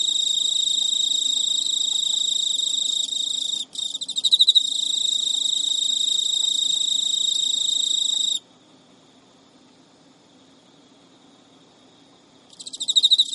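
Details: Captive male Emma field cricket chasing a female that ignores his courtship, Japan, midnight in early September 2011; steady shrill trill with a brief break and loud pulsed chirps, then about four seconds of silence before the trill returns.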